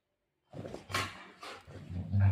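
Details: Golden retriever playing with its owner: low, rough growling bursts with a strong deep rumble, broken by short noisy gasps, swelling into a harsher, louder growl at the end. No other clear sounds.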